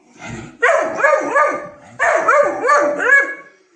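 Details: Alert Weimaraner puppy barking from the house at janitors throwing snow off the roof, warning its owner of strangers nearby; two bursts of high, yelping barks, each a quick run of three or four sharp yips, with a brief pause between.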